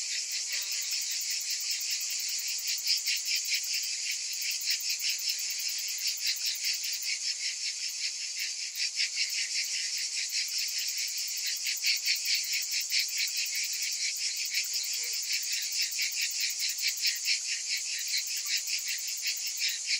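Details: Numerous cicadas calling on a summer day: a relentless high, rasping buzz made of fast, evenly spaced pulses, holding steady with mild rises and falls in volume.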